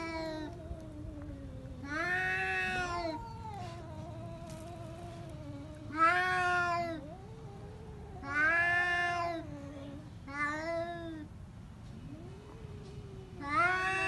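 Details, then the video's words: Two pet cats fighting indoors, trading long wavering yowls that rise and fall, each howl lasting about a second and recurring every two to three seconds, with a low steady hum underneath. "Cat fight with real voice"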